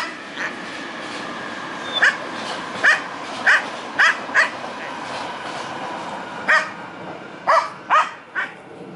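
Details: Domestic dog reacting to a squirrel, giving short, fairly high yapping barks, singly and in pairs, roughly every half second to a second, with gaps, over steady background noise.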